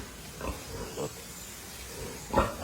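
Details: Landrace pigs on a hog farm, offspring of a US-origin Landrace boar, give three short, harsh grunts: one at about half a second, another a half-second later, and a louder one near the end, over a low steady background.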